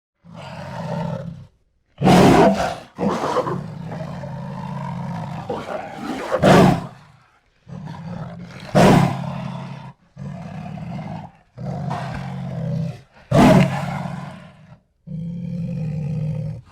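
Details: Jaguar roaring, the deep sawing roar known as esturro: a series of hoarse, low grunting strokes in bursts of about a second, separated by short silences, with a few sharper, louder coughs among them.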